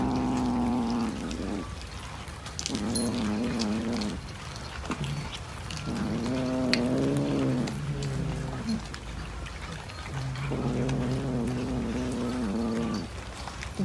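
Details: Domestic cat yowling in long, moaning low wails, each lasting one to two seconds with a slight wavering pitch, repeated several times with short gaps, over a quiet indoor background.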